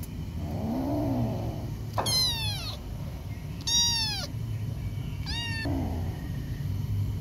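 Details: Aggressive feral male kitten, rescued and escaped again, growling and spitting. A low wavering growl opens, then three harsh descending yowling spits burst out about every one and a half seconds over a constant low hum.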